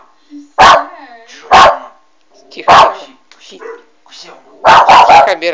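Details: Young West Highland White Terrier barking indoors at a Doberman on a monitor: loud, sharp barks about one a second, a short gap with softer sounds, then a rapid cluster of three or four barks.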